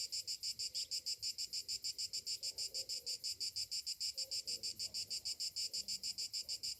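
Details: Shrill pulsing buzz of cicadas on a summer morning, steady beats about three per second without pause, with quiet low background sounds.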